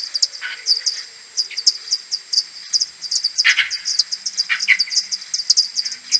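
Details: Common pipistrelles of a maternity colony coming back to roost at dawn, 21 May, AudioMoth 1.1 recording slowed tenfold: quick bursts of high clicks overlap, punctuated by a few louder, lower sweeping chirps.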